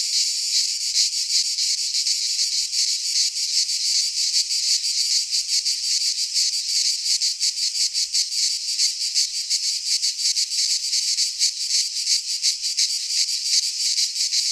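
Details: Several cicadas in a Greek pine forest in midsummer give a loud, high, rasping drone that throbs rapidly and never pauses across the whole stretch.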